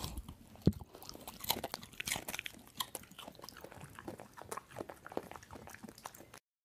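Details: Dog eating noisily, gobbling and munching its food: dense, irregular crunches and chewing bites with sharp bright clicks, sustained for about six seconds, with one louder crack near the start.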